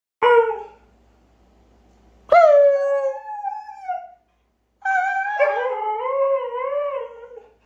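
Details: Siberian Husky howling: three drawn-out tonal howls with rich harmonics. The first is short and drops away, the second slides down and holds, and the last wavers steadily, with near silence between them.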